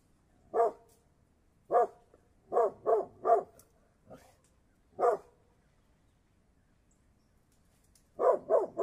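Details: Mountain Cur giving short, hearty barks, some single and some in quick runs of two to four, with silent gaps between groups.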